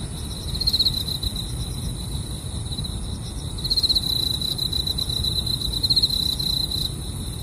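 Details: Grass insects chirp beside a camping car: a continuous high-pitched ringing with several rapid pulsed trills, one early and a cluster later, above a soft low background hum.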